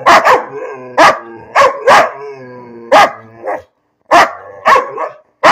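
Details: Bean the dog barking at nothing in particular, a steady string of sharp, high yaps, some doubled, with brief whiny tones between, a short silent gap, then more barks.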